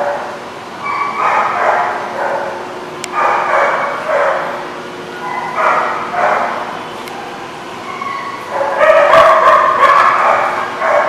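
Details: Dogs at a boarding spot called The Barking Lot, recorded 8/26/16, barking in repeated bursts of rapid yips and bow-wows, several voices overlapping, with a louder cluster near the end.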